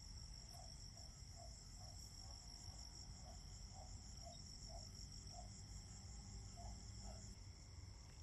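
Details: Fall crickets singing in autumn: continuous shrill, pulsing trills layered at high pitch, while a lower chirping note repeats about twice a second against a deep background rumble.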